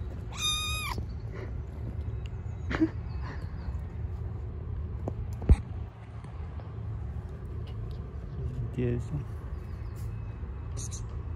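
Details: Stray cat living on the street, being fed: one short, clear meow near the start, starting high and bending, over a steady low hum of outdoor background noise, with faint scattered clicks and distant sounds.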